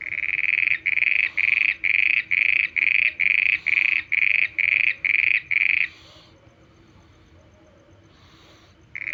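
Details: A frog at night gives about a dozen rasping, evenly spaced notes, roughly two per second, then goes quiet for a few seconds before one more note begins at the end. A low background hum runs throughout.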